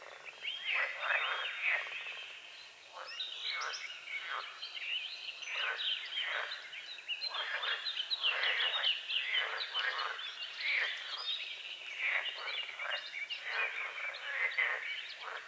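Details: Frogs croaking at dawn over a small lake on a forest edge, with morning fog on the water: a dense chorus of short broadband croaks repeating in overlapping bursts, steady throughout, with faint bird notes above.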